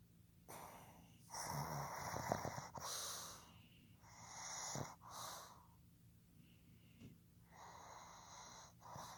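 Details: Sleeping male pug Fukuzo, born 15 July 2020, snores in a string of rough, wheezing, snorting breaths, irregular in length and loudness, with airy whistling overtones.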